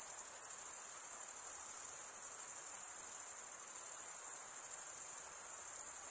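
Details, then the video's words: Continuous shrill chorus of male crickets chirping through wing stridulation, an unbroken high, even ringing with slight pulsing texture and no other voices or noises. "Most relaxing cricket sound"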